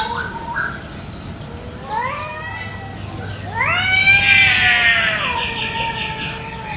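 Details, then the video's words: Morning territorial fight between village cats in a garden: a rising yowl swells into a loud, harsh, strained scream, then sinks into a long, slowly falling moan. "KUCING BERTENGKAR HEBAT BEREBUT WILAYAH"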